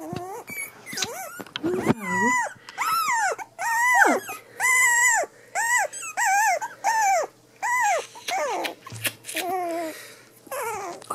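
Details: Three-week-old Cavachon puppies whimpering indoors: a run of high, arched whines, each rising then falling, repeated roughly every second, some overlapping as several pups call, with brief human voice at the start.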